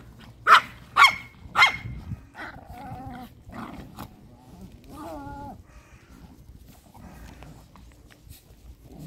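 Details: Chihuahuas at a kennel in Crimea, Russia bark: three loud, high yaps within about a second, then quieter whining, broken yelps and background voices.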